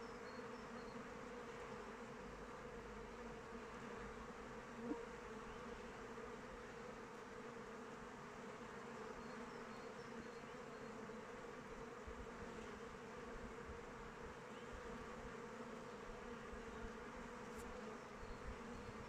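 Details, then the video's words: Many honey bees circling a hive in open weather make a continuous, even buzz. The low humming band stays steady throughout, broken only by a brief click near the middle and a sharp tick near the end. "Bees flying around hive"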